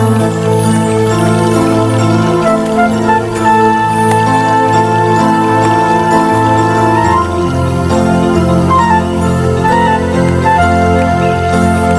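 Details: Soft, tender new-age background music plays throughout, with sustained melodic tones and no animal voice.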